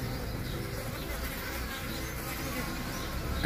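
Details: Mandaçaia stingless bees from the Caatinga, drones mating with a queen that fell or was expelled from a hive box; dense steady buzzing with low droning tones throughout.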